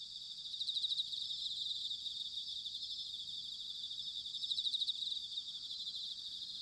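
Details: High shimmering chorus of bell crickets singing on an autumn night in Sanuki, Chiba Prefecture, Japan, with two clearer pulsed ringing phrases about three and a half seconds apart over a faint low rumble.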